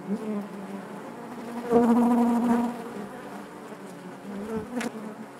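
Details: A honey bee colony in its hive gives a continuous low drone, with one bee's buzz swelling loudly close by for about a second before the hum settles back, ending with a short click.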